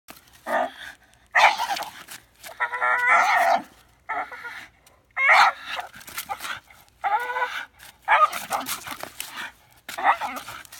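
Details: Bull Terrier making crazy sounds: bursts of harmonic, moaning and whining vocalizations about a second long, some wavering in pitch, separated by short silences across ten seconds.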